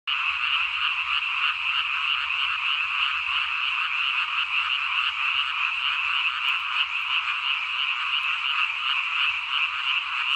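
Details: Frogs in the countryside calling as a dense, continuous chorus, many overlapping croaks pulsing rapidly at a steady level with no gaps, bright and raspy, filling the whole clip.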